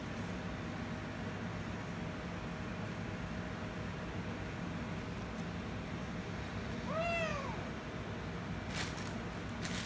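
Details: Kittens, a ginger kitten and a rescue kitten it made angry, which later kisses and licks it; one clear, arched, harmonic meow rises and falls near seven seconds over a steady low hum, with brief clicks near the end.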